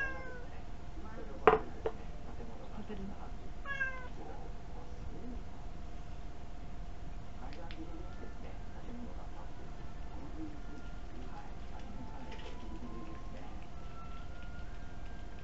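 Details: Pet cat sitting on a chair indoors begging for food, filmed with a tiny camera; a few short harmonic meows early on, then mostly a quiet room with steady low hum and faint clicks.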